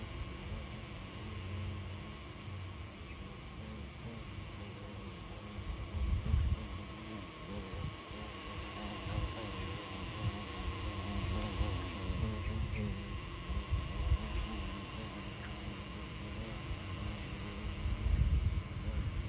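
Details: Xylocopa carpenter bees at nest holes in a jackfruit tree, giving a deep wavering hum that rises and falls as they circle past, with low background rumble and faint hiss throughout.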